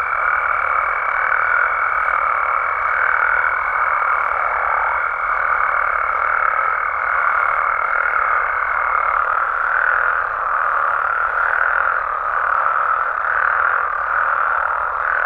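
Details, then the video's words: Wild Mexican frogs and toads at night: a busy, overlapping croaking chorus with soft pulses in its texture, accompanied by a level high whine for roughly the first nine seconds, after which only the croaking remains. "Mexican Frogs & Toads Sounds"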